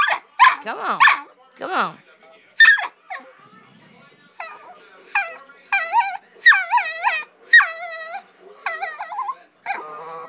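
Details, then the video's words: Pit bull puppy "arguing" with its owner, who keeps trying to talk: a run of high, wavering whines and yelps, some harmonic-rich and climbing, in short bursts separated by brief pauses, with the woman's voice cutting in. "Puppy arguing with "grandmammers""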